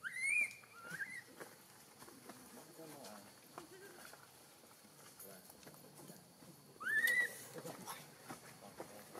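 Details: Newborn macaque, hungry for milk, Siem Reap Province, Cambodia, crying with high, thin, rising-then-falling squeals at the start and again after about seven seconds, over a steady hiss and faint background noise.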